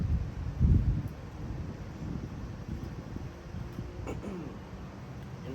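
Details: Low indoor speech with a short handling thump and a faint background hum, with no animal sounds.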